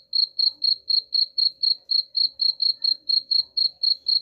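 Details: Cricket chirping, offered as a sound to drive away rats: sharp high pulses at a steady pace of about four per second, roughly seventeen in a row, with no other clear sounds.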